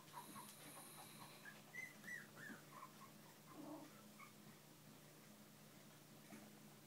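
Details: Young Bichon and shih poo pups with parent dogs: a few scattered high-pitched whines and squeaks, some bending downward, fading out after the middle while a low steady hum continues beneath.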